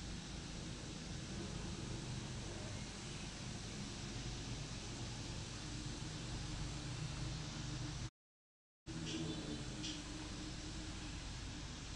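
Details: Steady broadband hiss like air conditioning fills the recording, broken by a brief silent gap near the end, with no animal sound heard.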